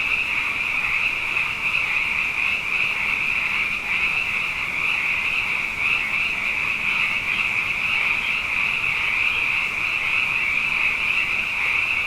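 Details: Night chorus of abundant frogs after two wet years in a row: countless high-pitched calls blending into a continuous ringing drone that holds steady at even loudness, with faint pulsing in the mass of voices.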